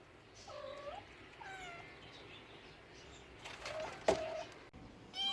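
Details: Cat meows: two short, slightly bent meows in the first two seconds, then a clattering knock and another brief meow at the end, over low background hiss.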